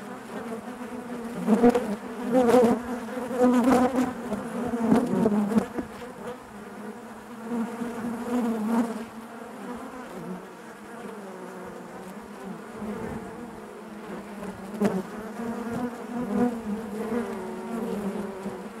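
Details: Honey bees crowd their hive with a constant humming buzz, louder and busier in the first seconds, then settling into a smooth, even drone with occasional close wingbeats.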